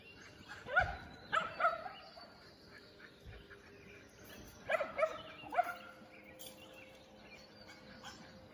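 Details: Running Shetland Sheepdogs, 2021 AKC: clusters of high, yippy barks, a group of three near the start and another three a few seconds later, with a dull thump and faint background noise.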